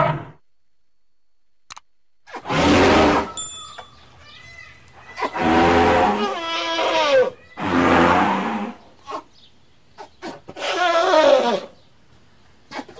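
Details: Elephant. A young elephant calls out in four loud, rough bursts, each about a second long. The hoots sound strained and partly squealing, with brief quiet gaps between them.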